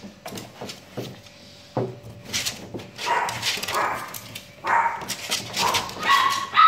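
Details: Shih Tzu dog barking and yipping indoors, short sharp barks at irregular intervals, some whimper-like high notes near the end, with household clatter and a steady low hum.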